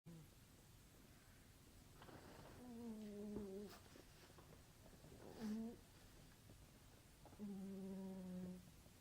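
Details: A sleeping cat snoring loudly indoors: three drawn-out, low, droning breaths with a buzzy harmonic tone, roughly every two to three seconds, in a quiet room.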